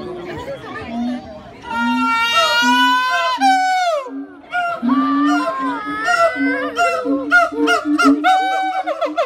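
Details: Siamangs singing to mark their territory: a steady low booming tone runs beneath loud, ringing whoops and barks that sweep up and down, breaking into rapid, closely repeated bursts toward the end.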